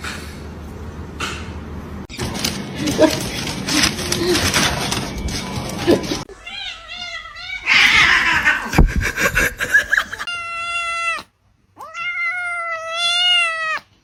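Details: A 'talking' cat from a funny-cats compilation: after a few seconds of noisy, choppy edited sound, a series of clear, drawn-out meows that rise and fall, some wavering, near the end, with a short silent gap between them.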